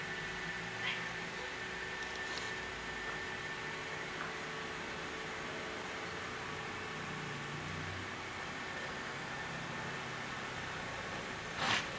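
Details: Steady indoor hum and hiss with a faint murmur of speech and a brief knock near the end, with no animal voice.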